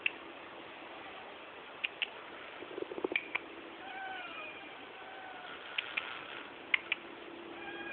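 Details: Stray mother cat and her kittens living on the roof of the house across the street; a few soft, faint tonal meows in the middle, with scattered sharp clicks and knocks over a steady background hiss.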